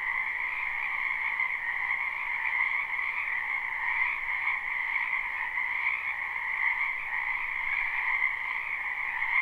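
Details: Wetland frogs croaking in spring behind a house, captured live with no looping: an even, humming mass of countless overlapping calls, softly pulsing and steady in volume from start to end.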